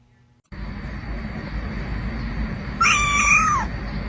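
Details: Kitten meowing: after a steady rush of background noise begins, one drawn-out, level meow sounds near the end, holding its pitch before dropping away at the close.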